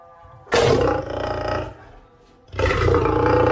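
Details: An angry lion gives two harsh, rasping roars, each about a second long, separated by a brief pause.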